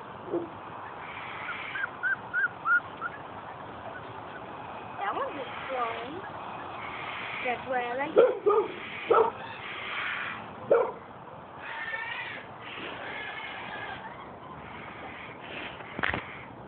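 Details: Five-week-old Weimaraner puppies being handled by children: scattered short, high yips and thin whimpers, some in quick clusters, with children's voices talking in between and over the calls.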